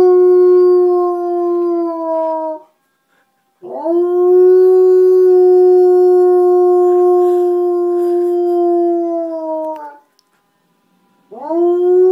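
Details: Four-year-old Old English Sheepdog Rooney, a female, sings along with a fire truck in three long, steady, pure-toned howls, each held for seconds before tapering, separated by short silences.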